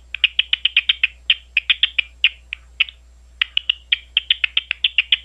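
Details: Big brown bat recorded at Ohio State University, Ohio: rapid trains of short, dry clicking pulses, about four per second, in quick bursts. A brief pause comes near three seconds before the ticking resumes.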